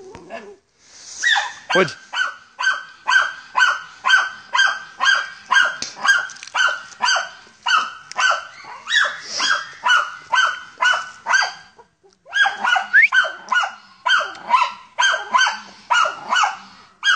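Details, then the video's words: Hunting wild boar, the Deutscher Jagdterrier Ata von Jagdwald bays in a long, even series of hoarse barks about two per second, with a short pause near twelve seconds before the barking resumes; a man's voice urges the dog on. "Deutscher Jagdterrier Ata von Jagdwald(wild boar)"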